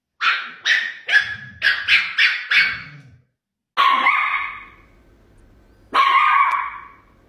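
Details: Little Chihuahua barking at a cat in guard-dog fashion: a quick burst of seven sharp, high barks within three seconds, then two longer, harsher, growl-tinged barks spaced about two seconds apart with silence between.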